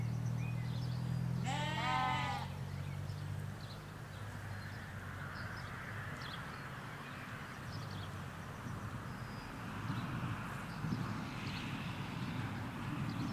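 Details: Sheep in a field in the Hampshire countryside, ewes with their lambs: one wavering, harmonic bleat near the two-second mark, then a steady low rumble of distant traffic and faint bird chirps.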